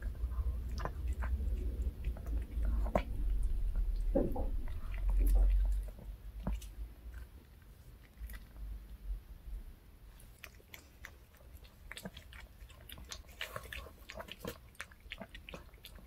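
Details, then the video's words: Reka, a pet dog, busily eats a handmade bungeoppang treat indoors; heavy thudding bites in the first six seconds give way to lighter, regular crunchy chewing, with faint voices in the background. "강아지 먹방 ASMR 붕어빵 fish shaped bun mukbang eating show"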